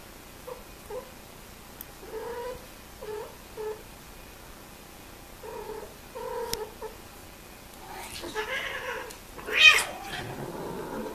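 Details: Mating domestic cats: short, clipped yowls repeated roughly every second, building toward a harsh, noisy outburst near the end that rises into a loud screech.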